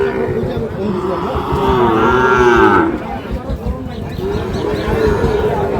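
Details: Sahiwal bull calves at Ambari cattle market, Parbatipur, Dinajpur, on 30 March: a single drawn-out moo lasting about a second, wavering slightly in pitch, over constant crowd chatter and bargaining voices.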